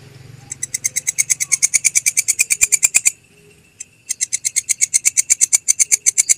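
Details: Clear masteran recording of a belalang kecek grasshopper for tutoring caged songbirds: a steady run of sharp, rasping ticks speeding up slightly, a pause of about a second, then another even train of ticks.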